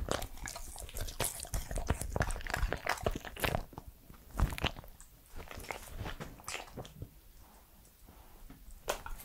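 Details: Edmundo, a three-year-old Pembroke Welsh Corgi, chewing and biting indoors in a small room: dense crunchy clicks and snaps, irregular and rapid, with quieter mouthing sounds in between.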